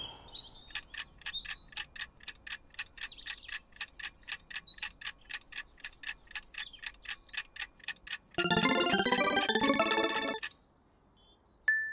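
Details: Regular ticking like a clock, then a burst of bright tinkling chimes, followed by quiet; no animal voices.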